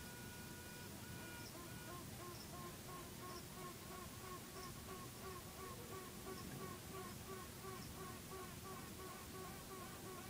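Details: Honey bees in a hive at Fountain Rock Nature Center, where an old and a new queen were battling for the hive before half the colony left with one queen; short arched piping tones repeat about every second over a steady broadband hum.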